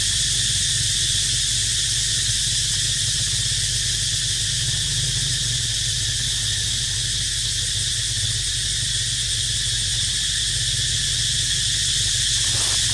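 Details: Unbroken high, shrill cicada drone, buzzy and constant in loudness, accompanying a resting baby monkey called Dito; a faint low rumble underneath and a brief disturbance just before the end.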